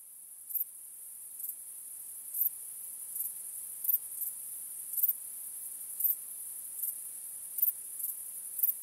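Crickets chirping at night, a thin high trill with brighter bursts about once a second.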